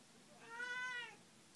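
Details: Single clear meow from a house cat, smooth and drawn out, swelling in the middle and fading away, in a quiet indoor setting.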